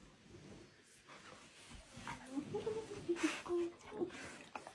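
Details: Kim, a happy female German Shepherd puppy, talking back in a string of short, tonal whine-like notes that rise and fall over about two seconds, with soft breathy noise between them.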